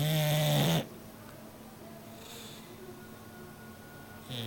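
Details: Rocky, a bulldog, snoring: one loud, low, droning snore with a steady buzzy tone opens the moment, followed by near silence with faint room hiss.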